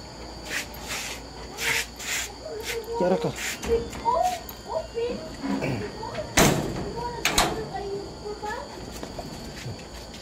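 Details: Three healthy 25-day-old Golden Retriever puppies whining: a run of short, thin, squeaky whimpers that rise and fall, clustered through the middle of the recording, mixed with sharp knocks and clicks and a steady background hum.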